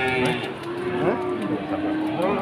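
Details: Limousin cattle heard at the Pasar Wage market in Pati, Indonesia, giving a wavering, somewhat higher moo that bends up and down in pitch, with people talking close by throughout.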